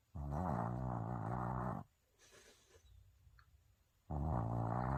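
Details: Sleeping Maltese dog snoring loudly, likened to a grown man's snore: long, harsh, buzzing rasps of nearly two seconds, separated by a quieter breathing pause of about two seconds.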